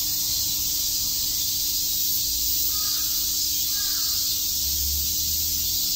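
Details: Summer day at Shakujii Park in Tokyo, where cicadas chirp in a continuous high, hissing wall of sound, never pausing, while a couple of faint brief chirps surface briefly in the middle.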